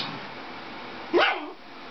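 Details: Dixie, a pet Dachshund indoors, barks at a Toyota chase commercial on the television: one sharp, loud bark rising out of the steady murmur of the TV voiceover, then quiet.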